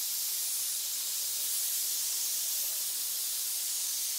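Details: Many snakes hissing in a pit, one unbroken sharp hiss at even loudness from start to end, heard alone.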